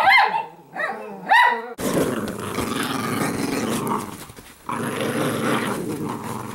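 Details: Female Italian Greyhounds wrestling in everyday rough play together: three short sharp barks, then a long rough, rumbling growl with snarly surges, briefly fading before resuming louder.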